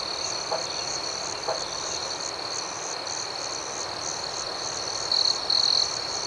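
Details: Night chorus of crickets, a continuous shrill trill with faster pulsing chirps above it. A couple of faint soft knocks sound early, and two quick louder trills from a closer insect come near the end.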